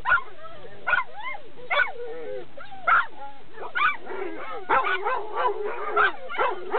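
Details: Labrador Retriever barking noisily while approaching a dog run: sharp, irregular barks and high yips, several with rising whiny tones, spaced about a second apart.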